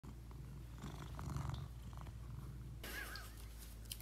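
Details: Cat wearing a new lion costume it is said to like, purring quietly: a steady, low, continuous rumble throughout, with fabric rustling over the later part.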